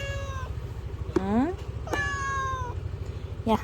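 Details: Thin, skinny stray cat met again after two weeks: four meows, one falling, one rising, one long drawn-out level cry and a short final one, over a low pulsing engine-like hum, with a person speaking Korean to it.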